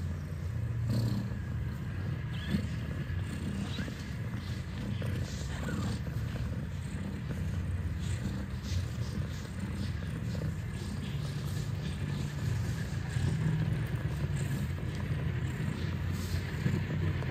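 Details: Kittens nursing from their mother at Catfe, a cat cafe in Ho Chi Minh City, Vietnam: a steady, deep rumbling purr runs unbroken through the whole recording, with faint soft rustles and small sounds above it.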